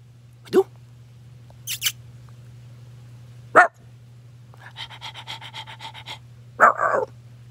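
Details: Bichon puppy giving a few short, sharp yaps spaced a couple of seconds apart, with a pulsing buzzy stretch between them and a steady low hum throughout.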